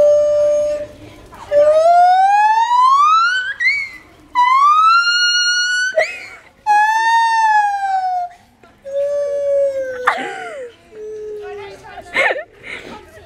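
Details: A monkey at Cotswold Wildlife Park making an unusual, funny noise: long, loud, tonal wails that sweep upward, hold level or slide down, about five drawn-out notes in thirteen seconds, ending in shorter squeaky, broken cries.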